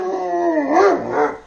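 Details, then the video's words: A pet Alaskan Malamute named Tonka asks for food while french toast is being eaten. A strong, tuneful woo howl wavers up and down in pitch over a second and a half, then fades away. "Malamutes Unusual Way Of Asking For Food"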